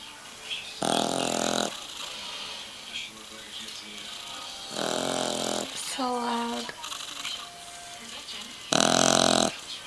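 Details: Boggle puppy of three months snoring while asleep. Harsh, rattling snore bursts about a second long return roughly every four seconds. A brief tonal squeak falls between them.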